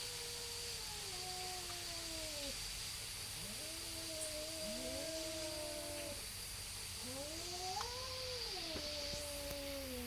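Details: Neighborhood cats squaring off before a fight, exchanging slow, moaning yowls that swell upward and trail down, several overlapping phrases separated by short gaps, with a continuous high whine and low rumble behind.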